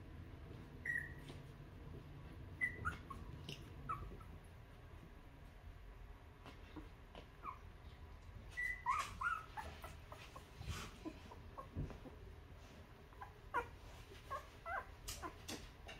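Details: Two-week-old newborn puppies nursing on their mother's milk and being cleaned by her, giving short high whimpering squeaks, several brief rising-falling cries scattered through the clip over soft rustling and low background hum.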